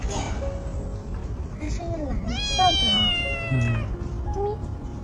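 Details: Month-old stray kitten found beneath a car, crying constantly, thought to be separated from its mother and looking for her; a single strained meow mid-clip, with quiet speech, gentle music and low background rumble.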